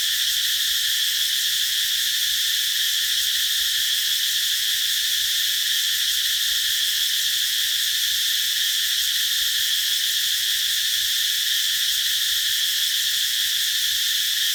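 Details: Cicadas singing beneath a tree in summer: a steady, unbroken high-pitched buzzing drone with a bright shrill core, holding level throughout with no pauses and no other clear sounds.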